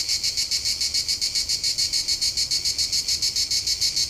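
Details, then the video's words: High, evenly pulsed cricket chirping, about three to four pulses each second, loud and continuous with only faint low background noise. "cırcır böceği"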